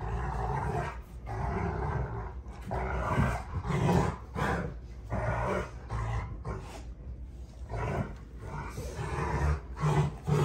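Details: Rottweilers June and Kenai play fighting at home, a rough, low, rumbling growl running almost continuously in long surging bursts, with heavy snarling roars building around the middle and near the end.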